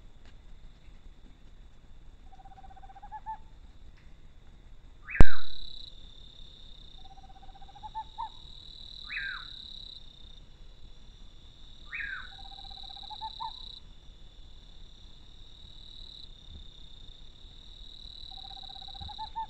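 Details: Scary-sounding fox call on an animal trail in Brazil: paired notes, a sharp descending cry then a flatter lower tone, repeated about every two to three seconds, with one loud click and a constant high electronic hum.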